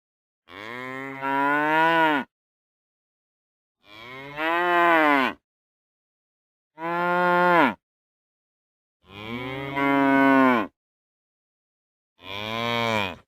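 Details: Real cows giving five loud, full-throated moos, each roughly one and a half seconds long, arriving about every three seconds with silence between, some swelling and bending downward in pitch toward the end.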